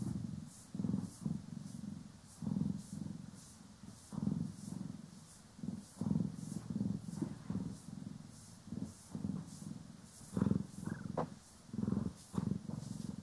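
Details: Continuous deep purr from house cats Poki and Kiwi under grooming and brushing, swelling and fading in regular beats, overlaid by repeated short bristly brushing strokes; recorded in stereo.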